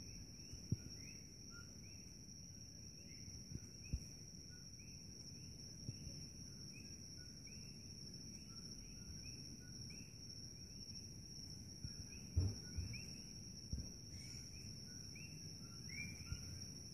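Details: A night chorus of common coqui frogs at Holualoa on Hawaii's Kona Coast, Big Island, many voices repeating loud, short two-note 'co-qui' chirps.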